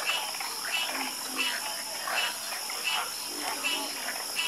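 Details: Night chorus of frogs, several callers giving short rasping croaks that come in loose bursts about every half second over a constant high-pitched background hiss.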